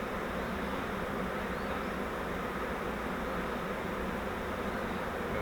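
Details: Honeybees from a swarm caught in a flowerpot bait hive, settling into a Langstroth hive, make an unbroken, rough, droning hum that stays level and constant from start to finish.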